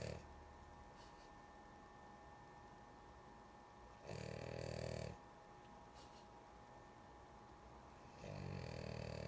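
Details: Two coarse, buzzing snores from a sleepy female dog, about four seconds apart, each with a hissy breathy edge, plus quiet breaths between them and a faint hum.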